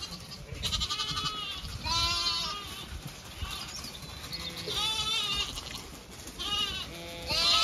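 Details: Zwartbles sheep flock on a regenerative farm in County Kilkenny, Ireland, moving to a field for cool late afternoon grazing; several harmonic bleats from different ewes and lambs, with a farmer calling the flock, wind noise and faint music.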